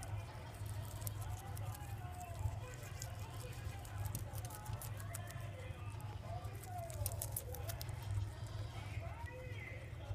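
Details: Pet guinea pig Poh chewing mizuna, its recent favourite food: crisp, rapid crunching clicks in bursts, with a person's voice talking over them and a steady low hum underneath.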